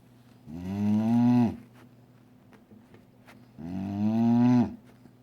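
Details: Female dog asleep beside her owner at a desk snores: two drawn-out, tonal, slightly rising snores about three seconds apart, with quiet breathing between.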